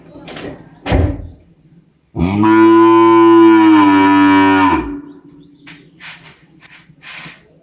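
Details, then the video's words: Farm calf giving one long, steady, strongly harmonic bawl lasting nearly three seconds, preceded and followed by faint thumps and clicks, with a high insect whine in the background. "Som de Bezerro berrando e mugindo"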